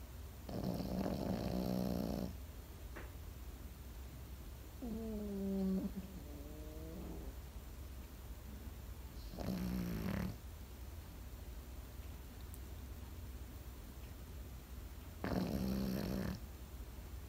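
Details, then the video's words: Sleeping Pekingese dog snoring indoors: three loud, harmonic rasping snores about every six seconds, each lasting one to two seconds, plus a softer, wavering snore between the first two, with quiet breathing in the gaps. "心地よい犬の寝息BGM ペキニーズ。 Comfortable Dog's sleeping sound pekingese."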